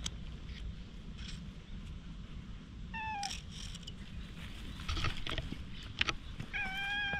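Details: Stray cat being stroked with a nekojasuri grooming brush, filmed on a GoPro HERO8: two short harmonic meows near the middle and end, the second held steady. Brushing scratches and a constant low outdoor rumble run underneath.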